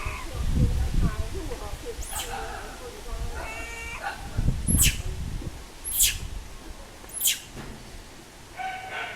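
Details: Little monkey that lost its mother crying loudly: short, thin, harmonic wailing cries in brief bursts, with sharp clicking knocks and low rumbling handling noise beneath.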